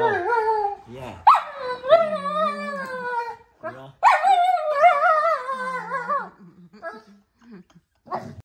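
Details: German Shepherd protesting the roll command during training in a small space: two long, drawn-out whining moans with wavering pitch, each lasting about two seconds, then short grumbles at the end.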